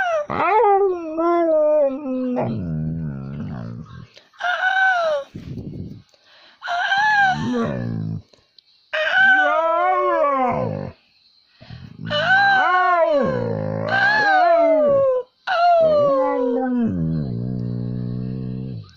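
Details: A young pet dog being taught to howl, answering a person's howling with long wavering howls that rise and fall in pitch, several drawn-out bouts with short pauses between, alongside human howling, music and praise.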